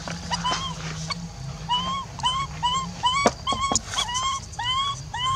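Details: A lone monkey cries to call back a departed companion, repeating short clear whistled coos that rise then dip, roughly two per second, with a few sharp clicks and a faint low hum behind.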